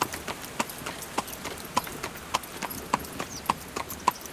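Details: Horse pulling a carriage: steady clip-clop of hooves, about 100 beats a minute, each sharp knock paired with a brief ringing tone, over a light background hiss.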